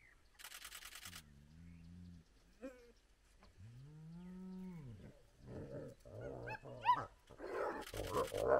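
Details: Spotted hyenas at a den with very active cubs, part of a big clan blocking a road at sunrise. A short low moan, then a long arching groan, then quick rising whoop-like notes, mixed with bursts of rattling noise.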